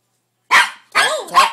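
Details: Norfolk Terrier reacting to strange noises coming from a wrapping paper tube, giving three loud, harsh barks in a row, the middle one longer with a falling, whiny pitch.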